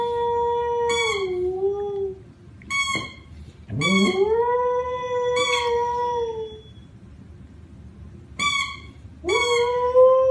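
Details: Dog howling in a series of drawn-out tonal wails, each rising at the start, then holding or sagging slightly, with short sharp onsets near 1, 3, 5.5, 8.5 and 9.5 seconds and quiet gaps between.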